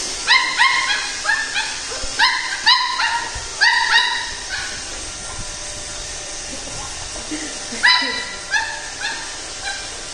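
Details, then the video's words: Pembroke Welsh Corgi puppy fighting a robot vacuum: a run of short, sharp high-pitched yaps and barks, clustered in quick bursts of three or four, pausing, then resuming near the end, over a steady mechanical hum. "CORGI PUPPY FIGHTS iROBOT"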